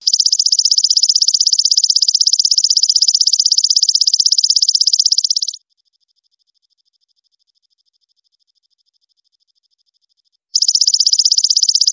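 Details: Belalang emas, the golden grasshopper, singing for songbird training: a shrill, rapidly pulsed trill for about five seconds, a five-second pause, then the same even buzzing trill resumes until the end.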